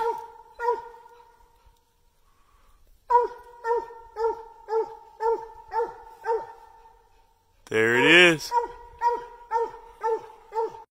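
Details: Bluetick Coonhounds barking treed: a few barks, then a pause, then a run of rhythmic, ringing chop barks at about two per second, interrupted once by a loud, drawn-out wavering howl before the barking resumes.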